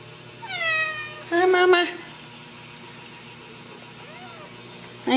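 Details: Ragdoll mother cat with her kittens in a home cattery in central Kansas: a high, falling kitten meow, then a louder, harsher harmonic meow, a faint soft mew, and a woman's voice greeting the mother.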